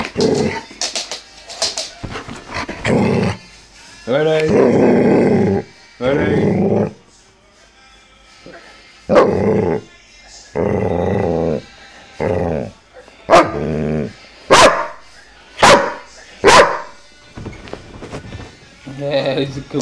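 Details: Vito, a dog with a loud bark, lets out short, sharp barks in separate bursts, several evenly spaced near the end, while a person's voice keeps repeating "ready" and praises him between barks.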